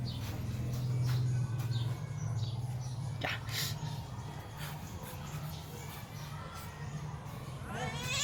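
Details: Playing with her owner, a domestic cat utters a brief sharp meow, then a rising high-pitched meow at the end, set against constant low rumbling background noise.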